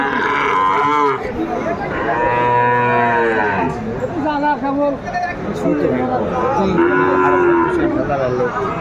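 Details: Loud, repeated mooing at a Comilla cattle market, 12 February 2025, where a Sahiwal bull changes hands. Several rich, bellowing calls of about a second each overlap, with a little market chatter behind.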